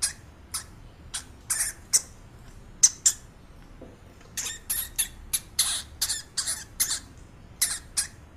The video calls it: Hamster sound